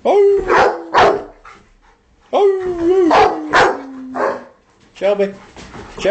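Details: A pet Rottweiler joins in with music. Short wavering howls mix with loud barks and a person's voice, with brief pauses between bursts.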